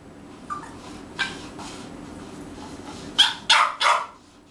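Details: A French bulldog, apparently hungry, gives three sharp, raspy barks in quick succession after a person softly calls his name.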